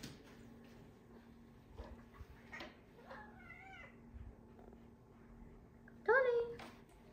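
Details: Indoor cat meows from rescued cats, including Tony, Oreo and a kitten: soft rising-falling mews around the middle, then a louder, sharper wavering meow near the end, over steady electrical hum and a man's speech.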